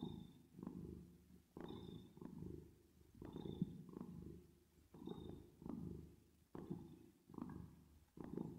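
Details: ['Purring cat resting in sleep, reverb applied; steady low rolling vibration rising and falling with each breath, about one surge per second, accompanied by faint higher airy tones.']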